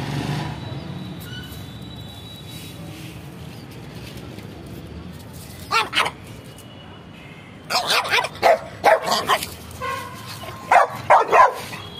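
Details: Pet pug dog barking: a pair of barks, then quick bursts of short sharp barks in clusters, with quiet pauses between.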